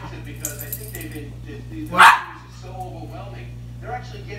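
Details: Two Cairn Terriers ask for cookies, and one gives a single sharp, loud bark begging for a treat while a person speaks softly.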